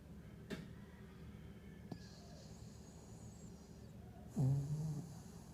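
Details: Havanese dog snoring during a nightmare: a quiet, low background with a couple of faint clicks, then one deep, rough, rasping snore close to the end.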